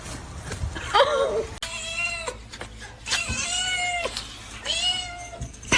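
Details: Domestic cat meowing: several drawn-out, harmonic meows that rise then fall, about one every second or two, with a brief person's voice and faint room noise.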